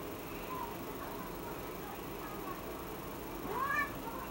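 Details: A cat meows after spotting a small flying insect on the ceiling: one short, rising then falling meow near the end, otherwise steady quiet background hiss.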